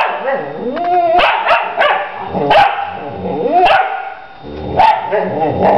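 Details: A mother dog with her young female puppy exchanging a stream of sliding, whining yowls and short sharp barks, the pitch curving up and down. The voices overlap in rapid back-and-forth bursts.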